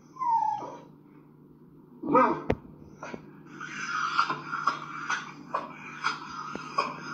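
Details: A small Schnauzer-type dog that reacts constantly on walks and at home gives high, strained whining screeches and yips in a rapid, uneven series while jumping up, each cry rising and breaking, with one sharp click partway through.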